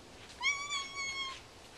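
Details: A curious domestic cat gives a single drawn-out meow of about one second, steady and slightly falling, rich in harmonics, in a quiet indoor room.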